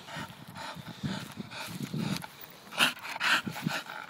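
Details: Pet Staffordshire bull terrier grunting and panting in low rhythmic pulses, then two sharp, breathy snorts close together near the end.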